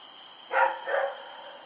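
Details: Rex the dog barking in the night while running around, October 7, 2018: two barks in quick succession, the second softer and drawn out, against a constant thin tonal hum.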